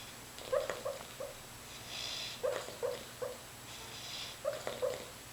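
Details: Roger, a dog, barking in his sleep: soft, muffled little woofs in short clusters of three, each cluster about two seconds apart, with hissy breathing sounds between them in a quiet room.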